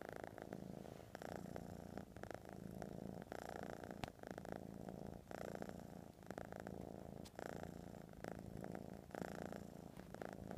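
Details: Domestic cat purring steadily, a continuous low rumbling throb pulsing with each breath in a quiet indoor room, with slight rhythmic swells every second or so.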